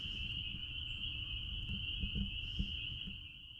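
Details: Spring peepers at a blueberry farm form a constant shrill high-pitched chorus, slightly wavering toward the end, with low rumble and a few faint pattering clicks in the background.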